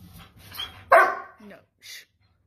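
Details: German Shepherd, a long-haired double-coated dog, sent to timeout and talking back indoors: one sharp bark with a short whine after it, a person's commands and laughter just before.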